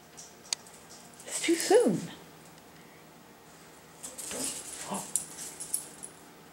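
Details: Sushi, a pet dog in a garage, whimpers while eager to eat the cat's leftover food: a high whine sliding sharply downward, then two shorter falling whines about three seconds later, with rustling and scratching between.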